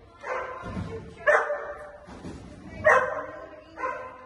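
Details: Dog at a Thursday night agility training session, giving four loud, harmonic-rich barks spaced roughly one second apart, with quieter low sounds between them.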